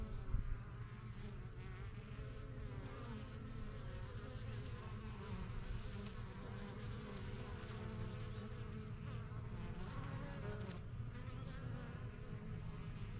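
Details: Colony of honey bees at a new backyard hive, the strongest yellow box, workers flying in and out; continuous deep droning buzz throughout, with brief louder whines of single bees passing close.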